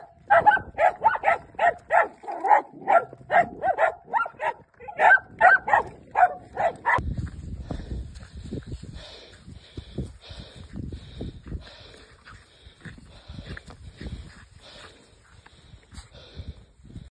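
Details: Dachshunds hunting their first groundhog: a run of sharp, evenly spaced barks for about seven seconds, then quieter rustling, thumping and scuffling noises with faint scattered high sounds.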